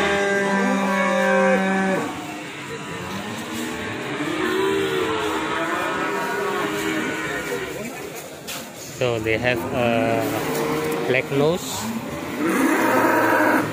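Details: Ongole cattle, an original breed from Indonesia, giving a low, steady drawn-out moo over the first two seconds, followed by mixed harmonic sounds with background music throughout.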